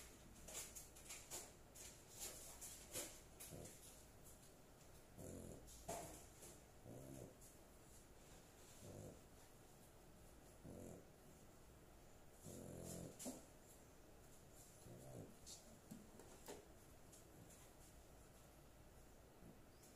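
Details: A pet dog sleeping soundly indoors, snoring in soft breathy rasps that recur about every one to two seconds, some louder and longer, over a faint steady hiss and scattered light clicks.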